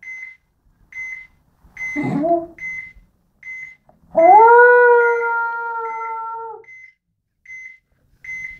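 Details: Sammy the dog howls in a small indoor room. After a brief whine comes a long, smooth, sustained howl of more than two seconds that rises at the start and then holds level. High electronic beeps repeat regularly in the background.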